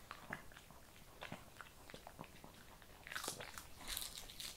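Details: Kibble being chewed by a Shih Tzu: soft, quick crunches at close range in a quiet room, ending in a brief, brighter burst of crackling.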